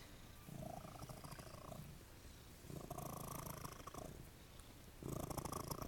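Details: Purring from Jesse James, an attention-loving cat at The Cat House on the Kings: three long rumbling stretches, each lasting a second or two, with short quieter gaps between.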